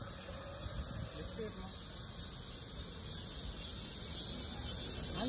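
A male cicada sings a steady, high, hissing buzz that holds on without a break.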